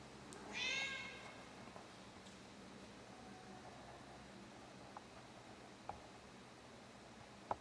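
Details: A 16-year-old female cat gives her nightly performance indoors: one short, bright, harmonic meow near the start, then a quiet room with only a few faint clicks and taps.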